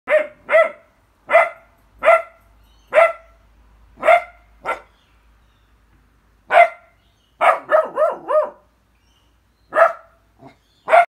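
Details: Harrier puppy being vocal: a run of short sharp barks, then a cluster of wavering, howling yelps, then two more barks, with quiet pauses between bursts.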